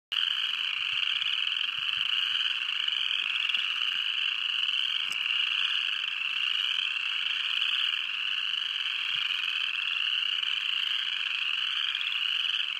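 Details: Upland chorus frogs calling as a dense chorus in Tuskegee National Forest, Alabama, in February 2015: many overlapping rising, rasping trills blend into a continuous high-pitched pulsing wall of sound.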